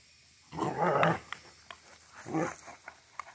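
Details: Central Asian Shepherd called Safarik, recorded in Michigan, giving two low grumbling growls about a second apart, with faint clicks and light background noise.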